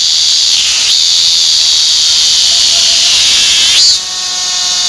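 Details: Korean cicada, a common cicada of Korea, holding a continuous piercing high-pitched buzz with brief dips in pitch near the start and just before the end, where the drone softens slightly.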